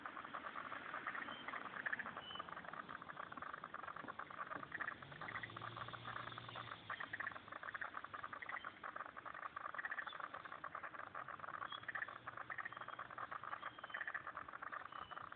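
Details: Pond in Turner, ACT, with a thick frog chorus of quick crackling pulses and rattles, steady throughout, with a faint low hum partway through.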